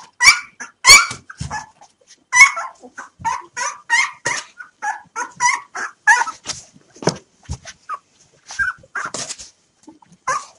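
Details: Hungry 3-day-old puppies, five siblings awaiting hand-fed milk, produce a steady series of short high whimpers and squeaky yips, roughly every second or faster, loudest at the start and fading somewhat toward the end.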